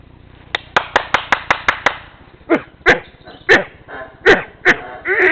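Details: Howler monkeys in Tikal, Guatemala, stirred up by a guide: a rapid series of sharp claps, then loud, squealing, pig-like calls in uneven bursts, ending in a rising harsh squeal.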